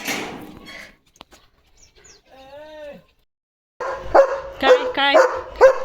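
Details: German Shepherd on a farm in the evening, barking fiercely on guard duty to protect his area: a brief spoken phrase first, a pause, then a rapid run of four or five loud, rough, harmonic barks.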